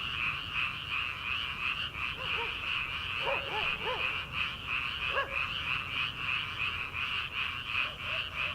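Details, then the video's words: Frogs calling from rice paddies in early summer, before rice transplanting: a dense, unbroken high trilling chorus, with a few lower, bouncy croaks rising out of it in the middle of the clip. "초 여름 개구리 울음소리/ 논에서 들리는 개구리 소리"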